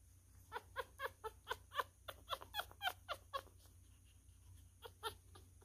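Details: Squealing newborn miniature schnauzer, a male pup, during a feed: rapid, ringing squeaks, about a dozen packed into under three seconds, then a short pause and two more, in a quiet room.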